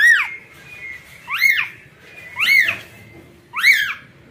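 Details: Newborn kitten seeking its mother cat, crying in shrill, bent mews that rise quickly and slide down, four calls spaced about a second apart, with a thin steady tone in the background.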